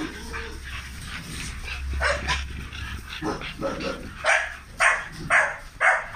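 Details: Big dogs at a kennel in Romania barking in a run of sharp, harsh barks about every half second near the end, over steady low hum, with people talking in the background.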